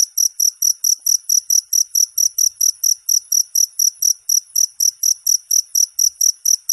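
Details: Cricket recorded as a tutor sound for training songbirds: high, shrill chirps with two bright pitch bands, pulsed steadily about four times a second throughout, on a silent background.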